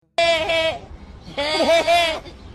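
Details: Goat giving two loud, strained, wavering bleats, each about half a second to a second long, the second with a dip in the middle.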